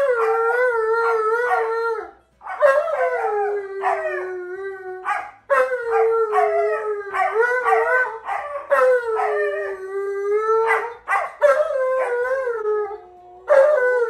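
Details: Male Alaskan Malamute howling at a smart speaker to show how a wolf really howls. Quick wavering 'woo-woo' syllables alternate with drawn-out falling howls over fourteen seconds, rich in overtones, with several short pauses between phrases.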